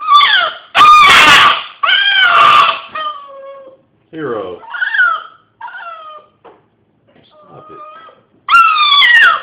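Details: Pet dog indoors in a small room giving drawn-out, wavering howls and strained, groaning 'demon' noises, with rising and falling harmonic tones broken by short pauses and a loud burst near the start.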